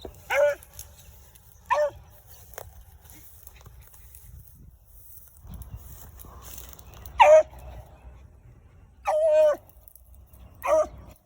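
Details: A 7-year-old female Beagle, hunting solo in the offseason, gives tongue while trailing a North Carolina cottontail rabbit circling in a block of woods, with loud ringing barks and one drawn-out bawl.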